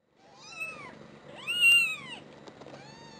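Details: One-week-old newborn British Shorthair kittens, the first litter of a grey-white father and a white mother, mewing: three high, arched, harmonic cries, the middle one loudest and longest, the last trailing off softly, in a quiet room.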